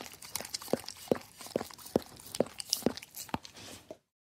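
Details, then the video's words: Dog licking a plate, about seven distinct wet laps spaced roughly half a second apart, then sudden silence before the end. "Dog Licking Plate"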